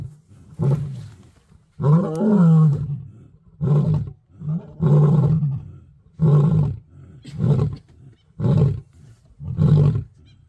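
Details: Two male lions roaring to mark territory in Kruger National Park, South Africa: a deep series of grunting roars, about seven loud low bursts with rough harmonics, the longest near the start, spaced roughly a second apart.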